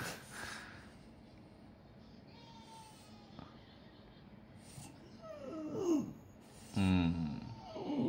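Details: French Bulldog grumbling and complaining at the new year as it edges closer, in Japan; wavering moaning vocalisations with falling and rising tones, louder near the end, after a quiet stretch with faint household sounds.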